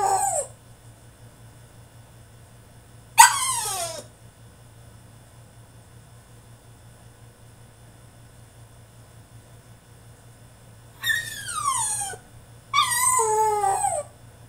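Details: French Bulldog in his cage mid-tantrum, giving a brief yelp, then a long pause, then two drawn-out whining cries that fall steeply in pitch, with a constant low hum behind.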